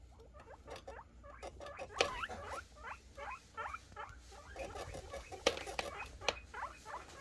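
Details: Guinea pig boars happily calling while expecting food: many quick upswept squeals tumbling over one another, several animals together, with occasional sharp clicks and rustling of bedding.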